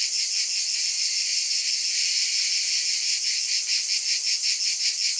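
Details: Continuous shrill cicada drone, bright and high, throbbing softly in quick regular pulses, even in loudness from start to end with nothing else heard.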